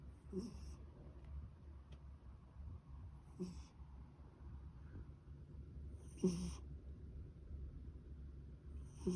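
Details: Sleeping cat snoring softly indoors, a faint breathy rasp returning roughly every three seconds, each breath a short airy burst over a steady low background hum.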